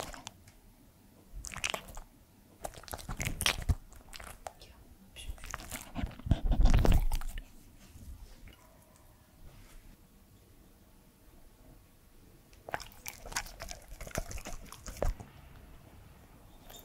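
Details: Edmundo, a three-year-old male Pembroke Welsh Corgi, eating indoors: separate spells of crisp, crackling bites and chewing, the loudest in the middle, divided by quiet stretches with faint room noise.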